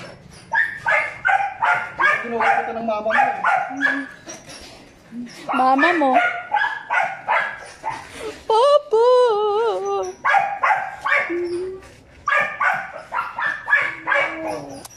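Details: Two five-month-old Belgian Malinois puppies, Juvs (brown) and Jeff (black), give rapid bursts of sharp, yappy barks, broken midway by a drawn-out wavering whine and short yelps, over background music and voices.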